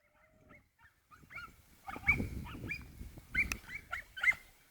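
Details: Working Croatian sheepdog Lila whines in repeated squeaky, rising notes that grow louder, over a low rumbling background noise.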